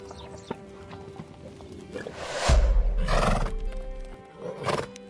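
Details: A horse, shown as a herbivore that eats grass and other plants, gives short, rough, broadband neighing and snorting bursts near the middle and end, over steady background music.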